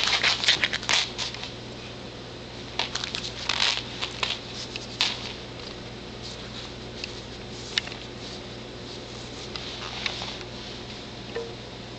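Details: Crackling, crinkling and pattering noises in a small room, with a steady low hum beneath and no clear animal voice.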